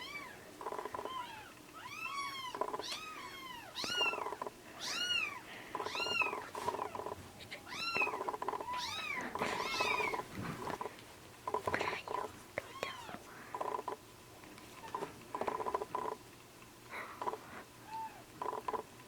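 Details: Two rescued kittens, orange tabby and black-and-white, taking bottled milk near weaning age: a rapid run of bright arched mews about every half second, then sparser, quieter squeaks, all over heavy steady background hum.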